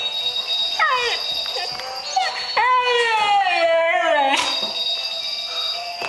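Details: A Siberian Husky howls along to 'Jingle Bells' in rich, wavering tones that slide downward over the steady musical notes of the song.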